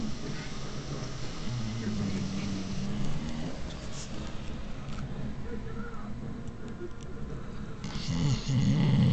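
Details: Stella, a pet dog, snoring: low, rough rumbling breaths, with a longer harmonic snore swelling early on and another louder snort near the end over a steady low background hum.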